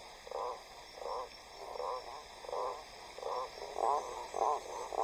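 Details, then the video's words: During breeding season in Atlantic rainforest by a river in southeast Brazil, a male blacksmith tree frog gives its deep, knocking advertisement call in short bursts about once a second from vegetation, to attract females, which prefer deeper voices. "durante la temporada de reproducción la selva hace eco al llamado profundo de la rana arbórea Herrera"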